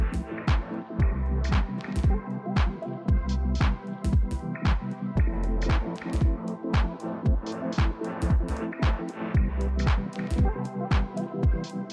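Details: Upbeat electronic house music with a steady thumping beat runs throughout, and no barking or other dog sounds occur.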